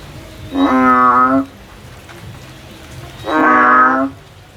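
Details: Frog climbing a tree in search of a way out: two loud, buzzy, nasal calls, each nearly a second long, spaced about three seconds apart over a quiet background.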